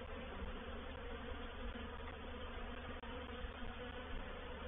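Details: Many honey bees of a reproductive swarm occupying a swarm trap at Painted Peacock Manor in April 2021; thick, constant humming buzz with stacked tones, one brief dropout near the end.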